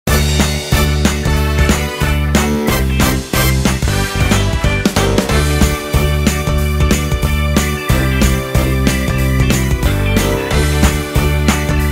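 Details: Upbeat rhythmic music with steady beats plays throughout, and no animal sound.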